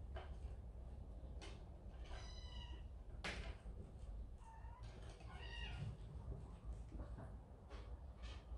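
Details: A kitten scolded by its older brother goes to its mother within a large cat family. Several short, thin meows are scattered among knocks and rustling over a low rumbling background.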